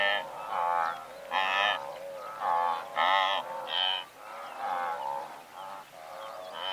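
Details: Blue wildebeest calling from a herd of several hundred: deep, nasal, moo-like honks in harmonic bands, several voices overlapping, loudest bursts near the start and gradually fading toward the end.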